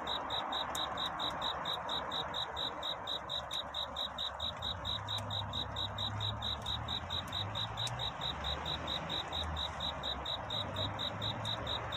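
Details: Cricket singing through the night toward dawn, a courtship song in search of a mate; a steady train of high, evenly spaced pulsed chirps, several per second, over a constant broad hiss and a faint low droning hum.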